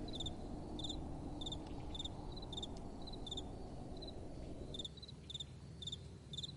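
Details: Crickets calling at night: short, high pulsed chirps in quick little bursts, about two a second, over a steady low rumble of soft wind that eases slightly near the end.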